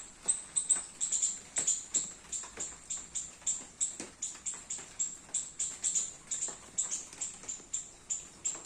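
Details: Garden squirrel feeding on baby coconuts during rain, giving a quick series of shrill, high-pitched chirps, roughly three per second, evenly paced throughout, with light patter in the background.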